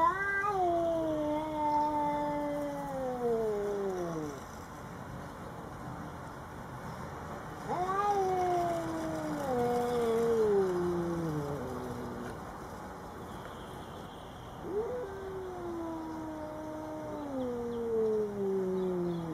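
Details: House cat confronting a Bengal neighbour at their first meeting, giving three long moaning yowls roughly seven seconds apart, each starting higher and gliding slowly downward, with faint background hum.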